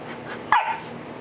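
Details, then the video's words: A three-month-old Golden Retriever puppy, scared to come down a single stair, stands on the step and barks at its owners; one short, sharp, high yap over a steady indoor hum. "Dog Scared To Come Down The Stair"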